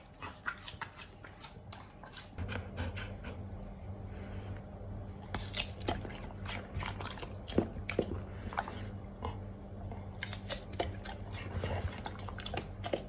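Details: A Golden Retriever chews pears noisily, wet crunches and sharp clicks of teeth in quick bursts.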